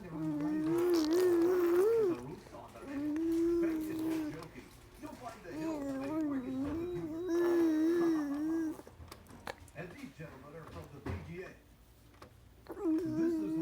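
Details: A fox chewing on his rattle gives drawn-out, wavering whines, each lasting a couple of seconds, with clicks and rattling between them; recorded 05-02-2017.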